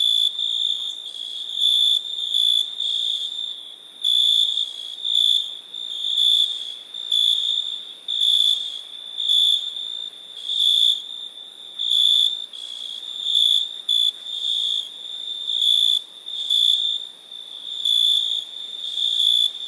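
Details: Crickets calling through the night with a high, constant ringing and loud chirping bursts that repeat about once a second in an uneven rhythm, with no birds or people.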